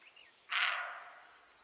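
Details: An antlerless deer gives a single harsh, breathy call that fades quickly, with faint bird chirps nearby.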